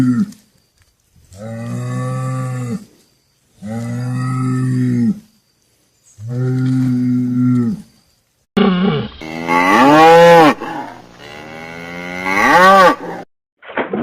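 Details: Cattle mooing: three long, steady, low droning moos with rich harmonics, each about one and a half seconds with short pauses, followed by a louder, higher, wavering bellow that rises and falls.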